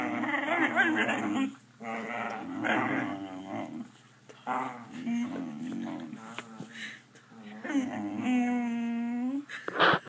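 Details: A pet dog vocalizes for treats with a series of groaning, mumbling sounds broken by pauses, ending in a higher rising whine, in a small room.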